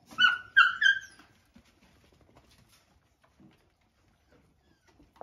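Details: Three sharp, high yelps within the first second as a male dog attacks a female dog during her meal, followed by near silence with faint scuffles and a click at the end.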